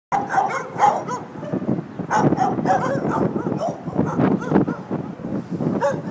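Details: Several dogs barking at a doggie daycare in San Antonio, Texas, while waiting for their owners; overlapping loud barks and yelps come in dense bursts throughout, with some higher whines between them.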